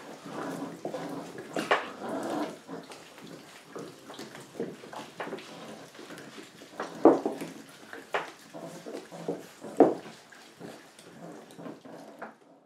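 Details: Rottweiler puppies feeding indoors on 3 April 2022 give soft whines and small yelps amid busy scuffling and feeding noises.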